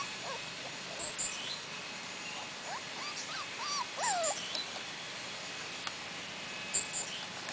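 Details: Outdoors in Sweden with their mother for the first time, four-week-old Cardigan Welsh Corgi puppies give bending, wavering whines and short squeaks in bursts, one longer falling whine standing out, with occasional high chirps overhead.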